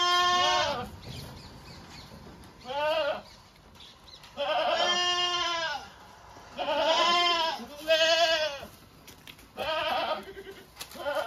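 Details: Owned domestic goats bleat repeatedly: about seven quavering, nasal, harmonic bleats, each under a second, spaced one to two seconds apart, with quiet background between calls.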